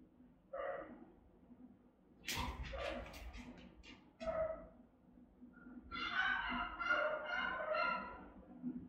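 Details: Rottweilers keeping watch over the house, recorded by a camera: scattered single deep barks, a brief rattling clatter, then a quick series of repeated barks near the end.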